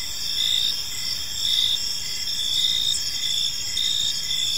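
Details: Evening in a calm park, with crickets keeping up a continuous shrill trilling chorus and short pulsed chirps recurring roughly once a second beneath it. No other animals or people are heard.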